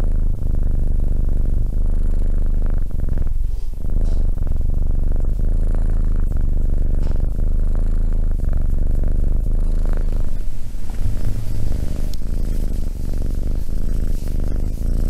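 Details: Continuous deep purr from a cat, rhythmic low vibration with slight shifts in intensity and a few soft scratching sounds.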